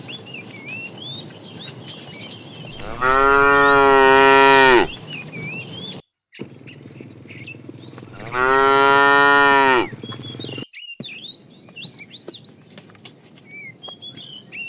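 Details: Tame cows roaming the road in search of food, a cow family together: two long, loud, steady moos about two seconds each, separated by a pause, over busy chirping birds.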